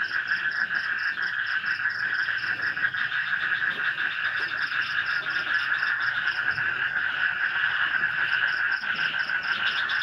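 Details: A dense night chorus of frogs trilling and croaking continuously in a swamp near a village in Indonesia, with crickets buzzing and light rain falling.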